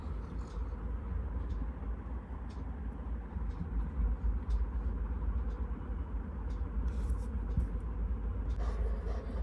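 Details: Low engine and road traffic rumble fills the outdoor scene with a few faint clicks, and no animal voice stands out.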